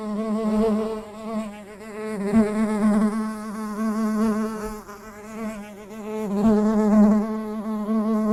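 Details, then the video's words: Bee in 8D recording, producing a continuous buzzing drone rich in harmonics, its pitch wobbling gently while the volume rises and falls as if passing closer and farther away. "SONIDO DE ABEJA"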